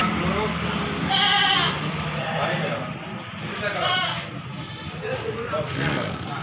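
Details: Gibas sheep at the Bangsri animal market in Jepara, Indonesia: two wavering, nasal bleats, one near the start and a shorter one midway, rising over a steady hubbub of crowd chatter and market noise.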